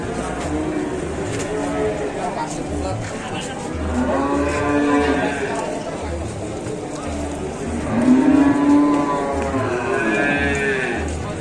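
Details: Raging cattle charging at Labanan bellow with two long, harmonic-rich moos that rise and fall, the second louder, over a low rhythmic thumping and steady background noise.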